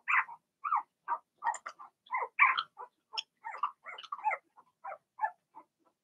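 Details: Young Blenheim Cavalier King Charles Spaniel puppies, a litter of six in a home puppy pen, give a busy stream of short, nasal whimpers and squeaks, about three per second, some overlapping and rough-edged.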